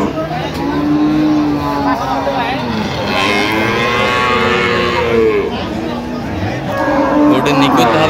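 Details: Cow with calf at Ambari livestock market, Parbatipur, Dinajpur, Bangladesh, 24 October 2025; several drawn-out, wavering moos from cattle over constant crowd chatter and background vehicle noise.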